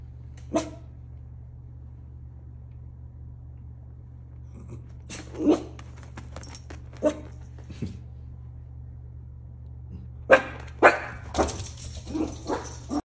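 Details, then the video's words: Miniature Schnauzer watching outside and barking at things, giving scattered short, sharp barks separated by silences, then a tighter burst of several rapid barks near the end, with a constant low hum throughout. "Mini Schnauzer making funny noises"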